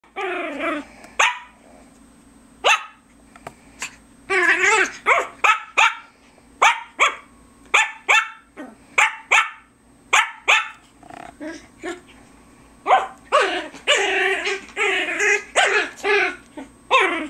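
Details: Loud Biewer Terrier puppy recorded in May 2007, barking persistently: high, yappy barks in irregular runs, sometimes in quick clusters, with a steady background hum throughout.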